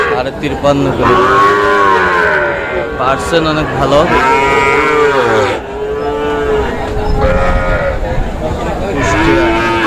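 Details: Bull calves of the Sahiwal breed, bought by a farmer in Kushtia on Friday, 9 June, call repeatedly. Deep, wavering lowing moos come in uneven bursts, with a brief higher bawl and faint voices behind.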